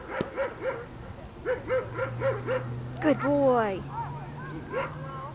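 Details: Doberman named Marco, belonging to a club and taking the protection field for the first time, barks in a quick run of hoarse, arched barks, breaks into a sliding whine midway, then barks again over a low hum and people talking.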